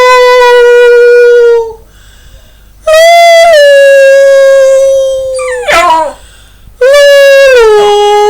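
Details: Pet dog howling along as its owner sings to it in Finnish at home; long, steady, loud, tonal howls, each held a second or two with a slight fall at the end, separated by short pauses, one broken by a wavering yelp.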